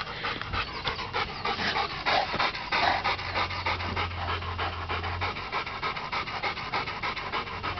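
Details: Dog panting hard while playing with another dog in a backyard, fast steady breathy in-out pants about one and a half per second, a low hum in the background.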